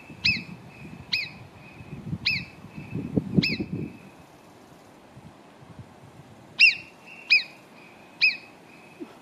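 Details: Marmots below Arpisson near Cogne give loud, sharp, high whistles, repeated about once a second in two bursts.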